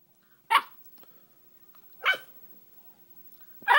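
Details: Ten-week-old Beagle puppy barking and baying: three short, sharp barks about one and a half seconds apart, each with a slight downward tail, against a quiet indoor background with a faint steady hum.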